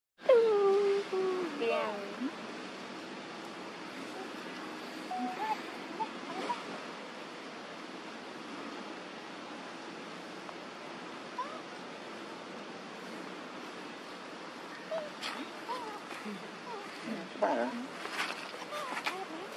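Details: Julie, an abandoned baby monkey living without its mother's care in an archaeological park, gives one loud, tonal, falling whine near the start. Afterwards there is a steady hiss of background noise, with people talking faintly and some scattered clicks.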